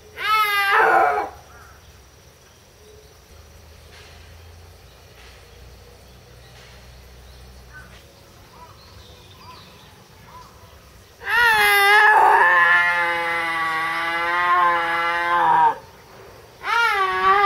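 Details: At Tama Zoological Park in Japan, October 2012, a captive snow leopard cries out repeatedly: a brief wail, a long pause with faint background noise, then a prolonged, wavering moaning call of several seconds and another short wail.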